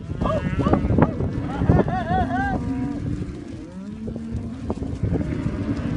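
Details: Angus calves at a 2017 auction, one wavering moo near the middle over a loud, steady rumble of crowd and machinery noise, with faint voices.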